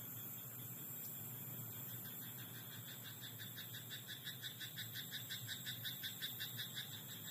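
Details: Frog croaking in a rice paddy at night: a steady train of short pulsed croaks, nearly three per second, starts midway and grows louder toward the end over a constant hiss of night insects.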